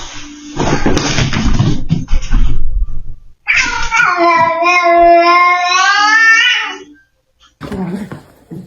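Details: Domestic cat giving a long, drawn-out meow of about three seconds, steady then wavering slightly before fading, after a burst of clattering and rustling noise; a short quieter sound follows.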